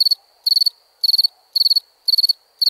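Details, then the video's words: Night-time crickets giving sharp, high trilled chirps of four or five pulses each, repeating about every half second against a near-silent backdrop. "Relaxing Chirping Crickets"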